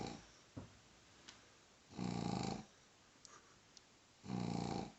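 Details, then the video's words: Two loud, raspy snores from Hubi the pug, sleeping indoors while being teased, each a coarse, rumbling breath lasting under a second, with quiet gaps holding small clicks and rustling. "Extrem laut schnarchender Mops wird geärgert"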